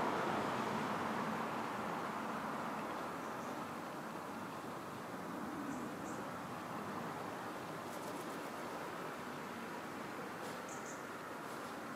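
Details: Steady broadband rumble like passing traffic or a train, with a few faint high clicks and no clear animal call.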